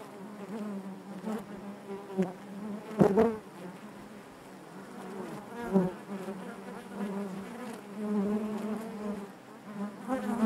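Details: Honey bees humming in their hive, a constant low buzz with rippling harmonics, punctuated by sudden close wingbeat bursts, loudest around the three-second mark.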